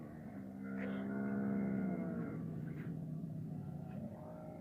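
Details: Camel with its calf, heard as a low droning harmonic moan held for about a second and a half, partly masked by a constant low rumble and scattered faint knocks.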